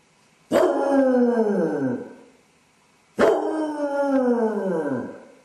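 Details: Basset hound left alone at home with separation anxiety, caught on a home camera; two long drawn-out howls about two seconds each, harmonic and falling in pitch, with a pause between.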